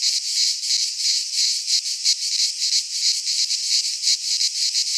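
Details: Greek cicadas in a pine forest at midsummer give a harsh, high rasping song, throbbing in quick regular surges roughly three times a second, steady and loud.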